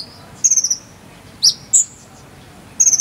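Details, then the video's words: High, pure-toned cricket chirps used as song-tutor material for konin birds, Cililin: a rapid pulsed trill, two short isolated notes, then another fast four-pulse trill, with quiet low hiss between. "KONIN ISIAN JANGKRIK SAMBUNG CILILIN"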